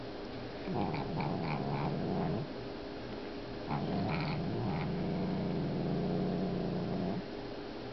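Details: Nova, a grumpy pet cat, growls indoors while eating from the food bowl of Max, a newly arrived cat watching her: two long, low, rumbling growls, the first about 1.5 seconds, the second about 3.5 seconds, separated by a short pause.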